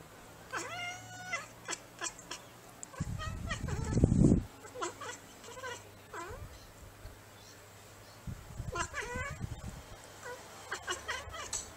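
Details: Bengal cats and kittens at home: short, repeated meows in bursts, interrupted midway by a loud rumbling thump and handling noise, then further meows and faint voices.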